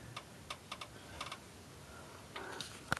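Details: Quiet indoor room with scattered soft clicks and ticks like typing, and no animal voice anywhere.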